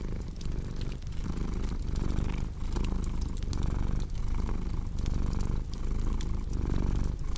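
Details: Low rumbling purr of a cat, rising and falling in regular breath cycles under frequent crisp crackles and snaps from a fireplace.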